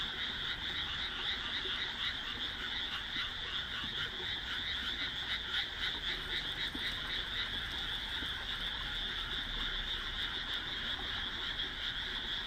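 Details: Many frogs calling at dusk in a newly planted rice paddy set between homes, June 2012; a thick, unbroken chorus of rapid croaks, some faint pulsing pattern running through the steady drone.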